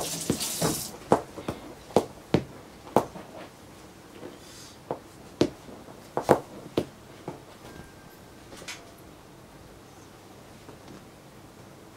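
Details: Indoor room with a series of sharp taps and knocks, likely furniture being handled, fading into quiet background hiss; no animal voice is heard.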